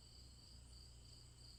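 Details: Continuous high-pitched cricket trilling with soft, regular pulsing, carried over a persistent low-frequency hum.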